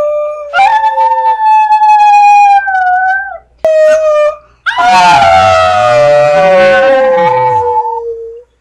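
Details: A pet brindle Chihuahua, male, answers his owner's "I love you" with sustained, singing howls. A steady, clear howl is followed by a brief pause, then a loud, quavering howl that slowly falls in pitch.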